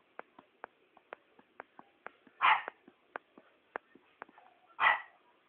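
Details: Shih Tzu dog giving two loud sharp barks a little over two seconds apart, over a background of faint, regular ticking clicks.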